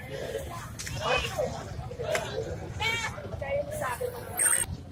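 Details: A goat at Erragadda market gives several short, quavering, nasal bleats with a trembling edge, over people talking and busy market noise.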